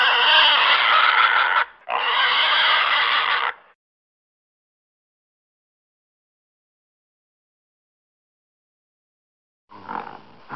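A pig gives two long, loud, harsh squeals back to back. A brief, quieter squeal follows after a long silence.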